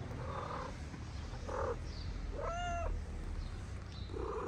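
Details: Street cats in Morocco, a mother cat eating while her kittens play-fight on her wooden house. A single clear, rising-then-falling meow mid-clip, with a man's low voice and soft background rumble.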